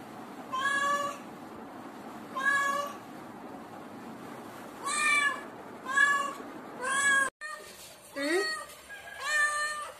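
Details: Cat with kitten, the young one crying out when insecure. Short, evenly pitched meows come roughly once a second, then after a brief cut a rising, bending meow and further short calls follow.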